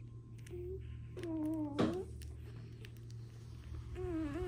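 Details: Dwarf Pug puppies, one of two in a first litter, mixed with a Beagle, give thin high whines that slide downward, three short whimpers in a row, the middle one longest, over a steady low indoor hum.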